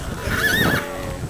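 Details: Young Polish Coldblood horse shown at a regional breeding horse show in Jasienówka, Podlasie, Poland, in July. A brief wavering whinny rises and falls over about a second against low background murmur.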